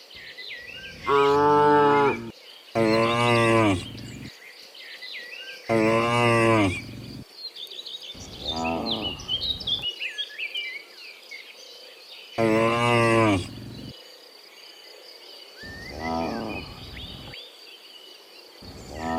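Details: Many cows mooing in the morning as they return from the field to the pen: a run of loud, overlapping drawn-out moos, then quieter calls further off, with steady bird chirping behind.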